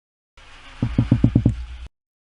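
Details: A single red drum, a Texas Coast fish of shallow barrier-island passes, gives a quick run of six low, thudding knocks, like a finger rubbed on a balloon underwater, made with its gas-filled swim bladder.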